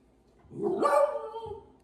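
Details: A six-month-old female Lemon Beagle, indoors, barking on command for a sweet potato snack: one drawn-out, rising-then-falling harmonic bark-howl about a second long, followed by a faint short grunt.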